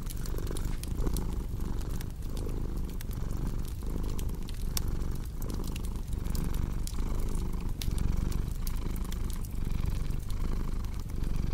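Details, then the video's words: A domestic cat keeps up a long, even purr, a deep buzzing rumble that pulses roughly once per second through inhale and exhale, beside a crackling fireplace with many small pops and clicks. "Purring Cat with Cozy Crackling Fireplace Sound"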